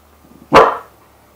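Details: A single short bark from a puppy barking for the first time, described as like an engine failing to start: one abrupt, loud woof that fades quickly, preceded by faint soft huffs.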